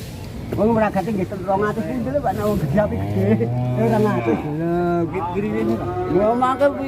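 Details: Huge black cow in Indonesia, reportedly purchased by a presidential guard, gives a drawn-out, low, level moo midway through, mixed with wavering melodic tones of background music and some talking.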